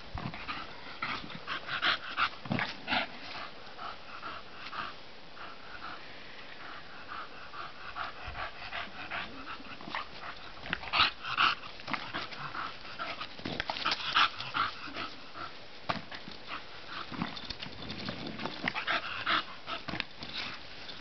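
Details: Bulldog playing outdoors in the sun, breathing in quick, rough panting bursts about two or three per second, with a few louder snorting puffs among the steady breathy rasp.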